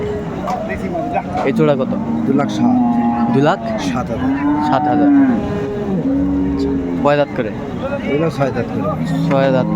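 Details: Indian Hariana bullocks at a cattle market on Sunday, 21 April 2024, bought by traders from Chittagong; low drawn-out moos rise and fall over several seconds amid constant crowd chatter and occasional vehicle noise.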